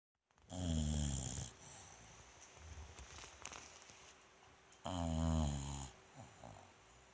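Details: Bulldog Rikyu asleep in a cute pose, recorded 29 November 2016: two loud, deep, rattling snores about four seconds apart, each lasting roughly a second, with quiet breathing between them.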